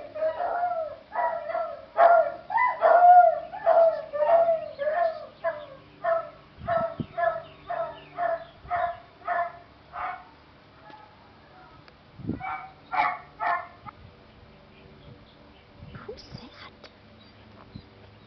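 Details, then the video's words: Beagle in a home setting, reacting to recorded dogs barking online; a rapid run of about a dozen sharp barks roughly every half second in the first ten seconds, then a few scattered barks and quieter sounds. "Listening to dogs bark on youtube - Bark in a box"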